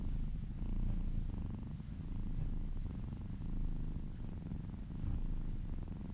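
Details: Happy cat or kitten purring during a relaxing massage; a low, continuous rumble with rapid buzzing pulses, growing louder and softer in slow waves as the cat breathes in and out.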